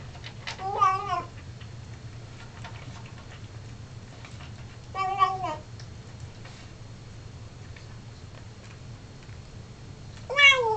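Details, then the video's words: Singing Siamese cat, a male, vocalizing at his food: three warbling, drawn-out yowls roughly every five seconds, each wavering in pitch. The final one climbs higher. A low steady hum fills the quiet gaps between them. "Singing Siamese"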